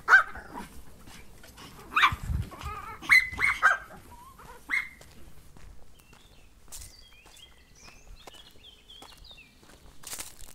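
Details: Dog giving a run of short, harsh barks in the first five seconds, some rising into yelps, then falling quiet while small birds chirp in the background.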